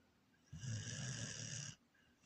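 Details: Corgi snoring while asleep: a single long, rasping snore lasting just over a second, with a low rumbling base and bright breathy overtones, starting and stopping abruptly against a quiet room.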